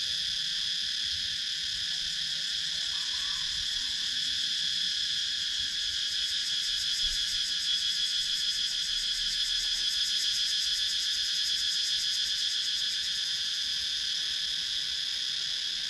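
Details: Cicadas in the wooded countryside of Sakon Nakhon, Thailand fill the air with a steady, high, shimmering buzz that never lets up.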